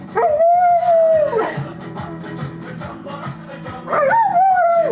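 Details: A female Rottweiler gives long, wavering howls that rise, hold and fall over the loud rock song "Nellie the Elephant"; she howls every time this song plays, and the owner is unsure whether she likes or hates it.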